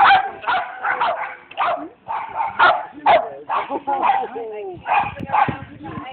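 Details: A female Border Terrier at an agility lesson gives rapid, irregular barks and yips, about two a second, mixed with a person talking nearby.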